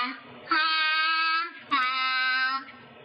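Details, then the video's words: Grey seal trained by researchers to imitate human sounds, singing the Star Wars theme; two long, steady, clear sung notes, each about a second, with a rich, voice-like tone and a lower note between them. "En l'occurrence, le générique de Star Wars, je vous propose d'écouter tout en étant indulgent parce que c'est un phoque. Écoutez."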